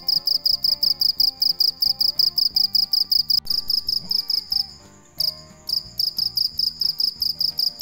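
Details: A cricket singing at night, giving fast, evenly spaced high chirps that briefly stop midway and then resume, set over quiet background music.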